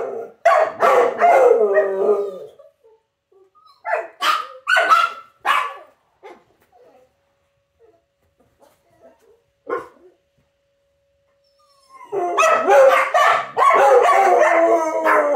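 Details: Dogs howling in response to the noontime sirens: an opening burst of wavering harmonic cries, then a few sharp yelps and barks, a long near-silent gap, and finally a loud, sustained group howl of overlapping, sliding tones.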